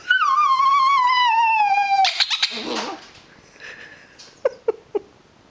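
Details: A Rat Terrier, unsettled by a squeaker toy being squeezed during play, gives a long, high whine that slides slowly downward, then a few short, sharp yips.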